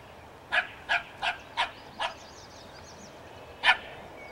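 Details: Barking dog confronting a skunk: five evenly spaced barks in quick succession, a pause, then one louder bark.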